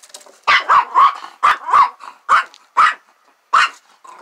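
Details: A scared dog barks repeatedly at a lamb trying to play with it beside a trailer. About eight harsh, punchy barks come in uneven bursts, some in quick pairs, with short gaps between.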